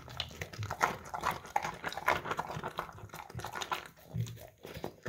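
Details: English Cream Golden Retriever dog crunching carrots from a bowl, captured on a Samsung Galaxy S10e phone: dense, rapid snapping bites and chewing crackle run almost continuously, with a brief quieter pause near the fourth second.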